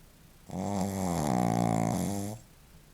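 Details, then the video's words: A single drawn-out snore from Shih Tzu Joaquim, nearly two seconds of steady, nasal, vibrating drone with a slight wavering in pitch, heard in a quiet room. "Shih-tzu roncando - Joaquim"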